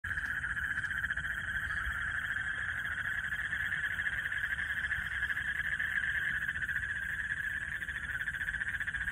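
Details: Frogs calling at dark night in a Bangladeshi village during lightning: a dense, steady chorus of rapid pulsing trills merges into one continuous mid-pitched drone, unbroken from start to finish, with a faint low rumble beneath.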